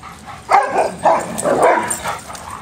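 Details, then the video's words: Dogs at play: a loud run of short, gruff barks and growly vocalisations, three or four bursts packed into about two seconds, coarse and mid-pitched, with little else in the background. "RELEASE THE HOUNDS, DOGS AT PLAY"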